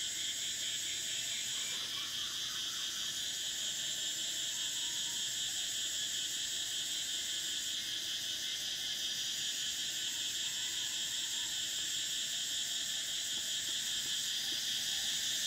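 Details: A summer cicada chorus: continuous high-pitched whirring in stacked shrill layers, one top band switching off and on in long stretches while the rest hums unbroken throughout.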